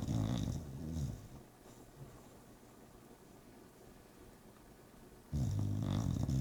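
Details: Sleeping bulldog snoring: a low, rattling, rumbly snore at the start, about four seconds of quiet breathing, then another loud rasping snore near the end.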